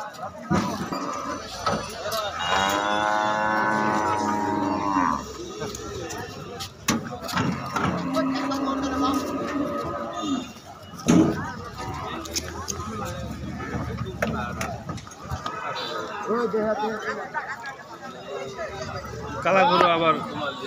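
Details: While cows jump down from a truck during unloading at a dairy farm, a drawn-out moo rises out of a busy mix of people talking, thumps and vehicle noise, with a shorter bellow near the end.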